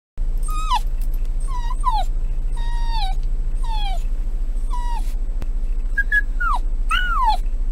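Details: Shiba Inu named Ichi living with an elderly father, whimpering in a series of high, descending whines with bright harmonics, some short and some drawn out, over a steady low hum.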